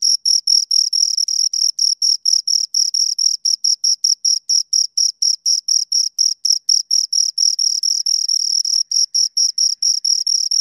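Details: Close chirping of two crickets, shrill high-pitched pulses repeating rapidly and evenly at around four per second, some pulses merging, in otherwise silent surroundings.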